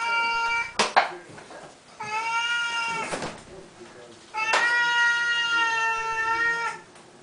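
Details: Indoor feeding time with Siamese cats, a morning and night routine; two long, level, nasal meows of about two seconds each, separated by sharp clatters.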